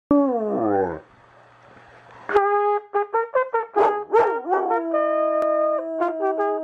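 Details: A Weimaraner named Forte sings along with cornet practice, howling in long, wavering, sliding tones alongside the cornet's steady notes.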